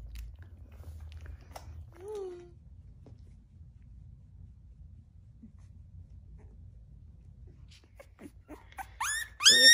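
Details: Howl, a newborn black Shiba Inu puppy and Wooju's first-born boy, gives one short falling squeak indoors, then a long quiet stretch ending in a burst of loud, high, sliding whines.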